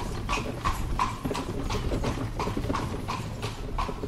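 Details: Carriage horse on cobble streets in Spain, no traffic: crisp, hollow clip-clop hoof strikes about three per second in an uneven trotting rhythm, over a low rolling rumble of carriage wheels.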